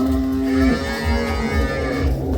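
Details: Dairy cow lows at a Bangladeshi farm in Domar, Nilphamari district, part of a group of 18 to 20 milk cows bought in Gaibandha; a loud sustained moo slides lower partway through, with low rumbling in the barn beneath.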